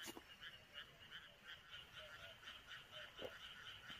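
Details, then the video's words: Chorus of frogs calling from rice paddies on a midsummer night in the countryside; many rasping croaks overlap in a continuous pulsing wash, with faint lower notes and a few soft clicks. "논에서 들려오는 개구리소리와"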